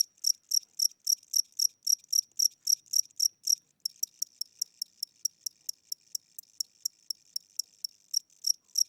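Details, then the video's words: An elderly cricket with weakening wings chirps at night in a house: full, loud high pulses for the first few seconds, then thinner, clipped chirps at a similar slow pace, strengthening again at the end. "Cricket Chirping Sounds: Low Battery"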